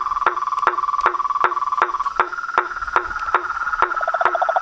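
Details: A chorus of frogs and toads: sharp knocking calls repeated roughly every half second over a steady buzzing trill, with a lower pulsed trill joining near the end.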